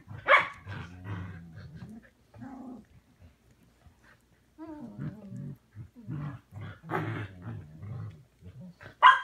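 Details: Samoyed puppies, three months old, sharing a bigger indoor pen with their mothers on Prince Edward Island, Canada, in March: low rumbling growls mixed with short wavering whines and a few sharp yaps, the last one loud and abrupt.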